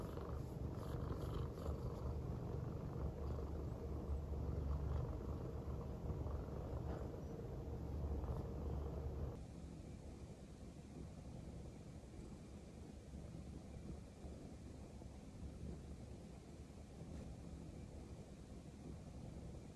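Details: Female silver tabby American Shorthair cat lying affectionately on a person's belly. A low, pulsing purr sounds strongly at first, then continues softer and more muffled for the remaining seconds.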